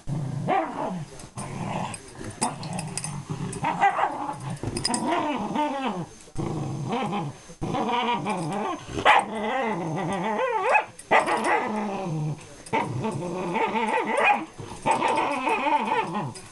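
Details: Female Miniature Schnauzer squealing steadily while refusing to give up her toy after another dog steals it; whiny, wavering high squeals with growly undertones run almost continuously, with short breaks and occasional voices.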